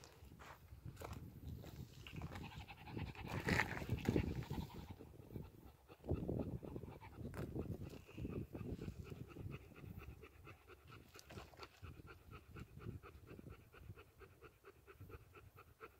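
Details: Pear-head Chihuahua breathing in quick, rhythmic pants close to the microphone, a steady low huffing about four times per second with occasional rustling and brief higher clicks.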